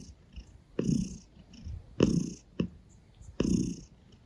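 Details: Gray Russian Blue cat kneading on a person's stomach and licking a hand, purring in slow rumbling bursts roughly every second or so, low and throaty with breathy hiss on each breath, heard up close in a quiet room.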